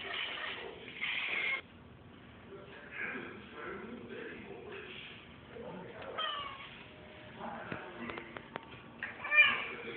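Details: Domestic cat chasing a fly, making weird noises indoors: rough, breathy bursts of chatter near 1 s and 3–4 s, scattered clicks around 8 s, and a short tonal squeak near the end.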